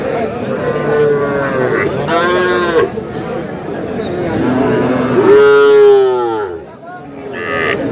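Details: Sahiwal bull calf bought by a Chattogram farmer at the traditional Aftabganj cattle market, Dinajpur district, on a Saturday market day. Several drawn-out, harmonic moos, some rising then falling, sound over steady crowd chatter and outdoor bustle.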